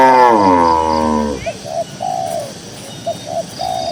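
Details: One of dozens of cows walking slowly across a green grassy pasture gives a long, deep moo that slides downward and fades, followed by repeated gentle three-note dove cooing.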